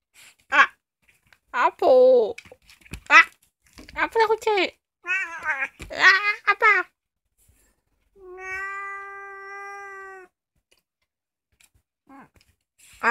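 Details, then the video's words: Youngest house cat Kkomaengi, a female cheese-coloured cat about two years old, filmed indoors at night, gives several short rising-falling meows among human speech, then a long steady tonal hum from a person. "고양이 꼬맹이 울음소리 The youngest cat in my family's house cries"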